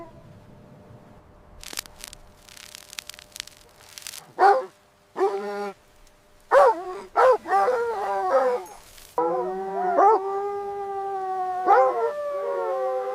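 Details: Mother dog playing with her puppies in fresh winter snow; scattered clicks, then bursts of yelping barks, some in quick pairs, leading into a drawn-out, wavering howl with further yips.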